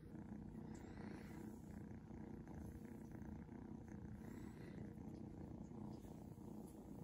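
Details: Seal point Ragdoll kitten Shadow purring under petting; a steady low rhythmic rumble pulsing quickly and evenly, with soft brushing sounds.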